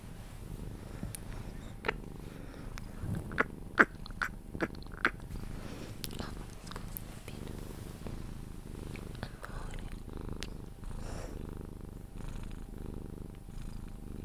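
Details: Sphynx cat being cuddled indoors, purring until falling asleep; soft low purr underneath a series of sharp clicks and rustling handling noises, with brief louder taps near the start.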